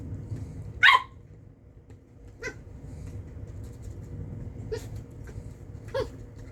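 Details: A corgi puppy playing with a hairbrush gives a few short, high yips spaced across a quiet room, one sharp yelp near the start and softer ones later.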